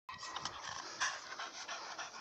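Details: American Staffordshire Terrier panting: a brief run of breathy, noisy bursts with steady hiss through the upper range, a slightly louder puff near the middle, and no clear voiced sound.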